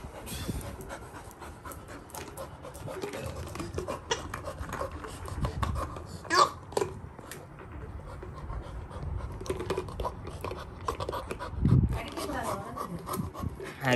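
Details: Excited Labrador retriever puppy reacting to a paw ball being shaken: steady, rapid, breathy panting for most of the stretch, with a few louder thumps and brief human speech in the background.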